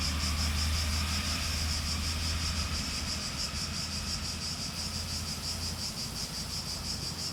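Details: Cicada. A continuous high-pitched insect drone, finely pulsed, runs unbroken from start to finish, typical of a cicada chorus. A deep, steady hum of distant traffic or machinery sits underneath.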